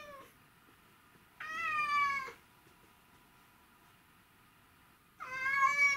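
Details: Two long, insistent meows, one near the middle and one at the end, from Mimi, a male white and ginger Domestic Shorthair who misses his owner, filmed 12 August 2018 in a quiet room.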